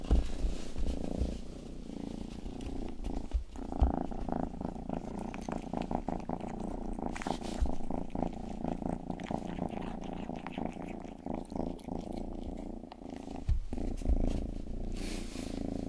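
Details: Purring from Rangi, a household's youngest cat, recorded for ASMR while grooming a listener's ear; a continuous low buzzing rumble with soft wet licking clicks and scattered brief noises throughout.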